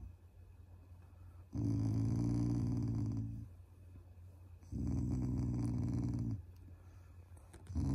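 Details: Pet Shiba Inu growling playfully at its family to show affection: two sustained gravelly growls near two seconds long with a pause between, then a third growl beginning at the end; low indoor hum throughout.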